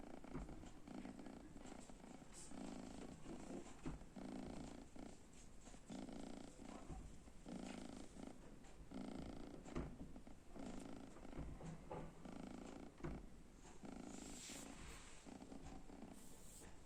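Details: Sleeping kitten lying in front of an oven, snoring gently: soft, rhythmic, raspy breaths in quick succession over a constant low indoor hum, with faint hissing bursts near the end.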